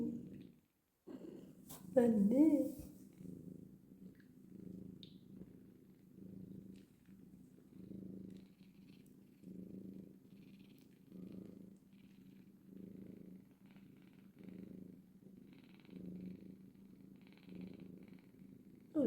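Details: Domestic cat, a mother with her kittens, purring in steady low rumbling pulses, each breath cycle about a second long, throughout; a brief burst of a person's voice near the start.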